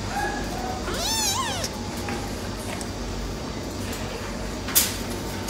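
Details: Silver tabby male cat gives one wavering meow near the start, rising and bending down, followed by quiet room noise and a sharp click near the end.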